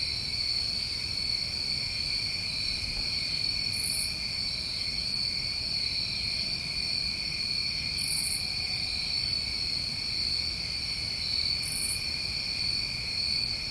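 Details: Summertime crickets in New England trill continuously through the night in a dense, steady high drone, while short higher-pitched buzzy bursts recur roughly every four seconds.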